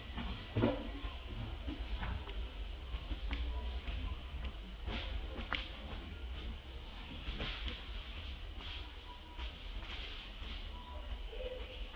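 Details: Steady low rumble with scattered faint clicks and knocks throughout, like distant traffic, with no clear voice or animal call standing out.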